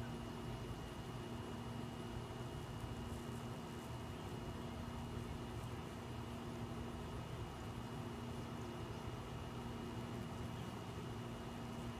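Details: Steady broadband noise with a constant low hum and faint tones, like traffic or an engine, with no animal sound.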